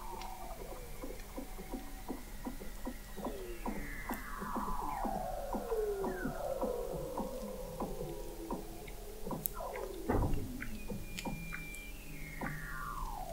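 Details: Dense chorus of Weddell seals under the frozen Southern Ocean ice at McMurdo Sound, Antarctica, in November 2017, captured by an under-ice observatory at 21 m: rapid pulse trains, crisscrossing falling sweeps and a loud low thump near the end.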